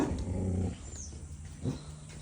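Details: Puppy kept as a pet growls low and steady, a buzzy harmonic rumble for most of the first second, then a shorter grumbling growl follows after a brief pause.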